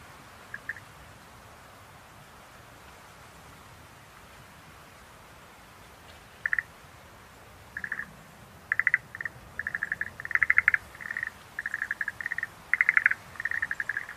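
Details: Schlegel's green tree frog heard after a quiet start: isolated short clicking bursts at first, then increasingly frequent pulsed rattles crowding together toward the end, faint background hiss throughout.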